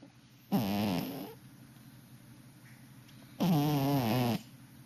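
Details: Cat snoring: two long, throaty, rasping breaths about three seconds apart, each lasting close to a second, with quiet room hiss between them.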